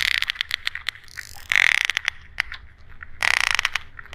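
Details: Sperm whale echolocation clicks, described as coda clicks: sharp broadband clicks repeat at an irregular pace, with two denser, louder bursts of rapid clicking around the middle and near the end. No other sounds are clear.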